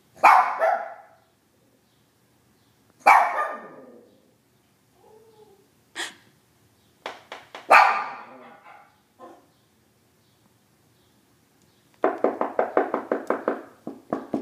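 A Shih Tzu gives short, falling howls, then ends with a quick run of yappy barks.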